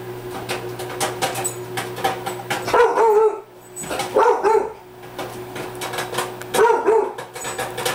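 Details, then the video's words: Rottweiler named Bailey, a pet indoors, barking because it feels threatened by popcorn popping in a microwave: three bursts of short, deep double barks about two seconds apart, over steady microwave hum and sharp popping clicks. "Bailey Barking at Popcorn"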